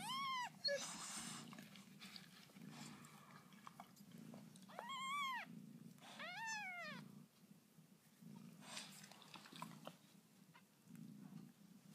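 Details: Lucy's newborn kittens mewing indoors: a high arched cry at the start, then a pair of quick rising-falling mews midway, with rustling and a low rhythmic hum beneath.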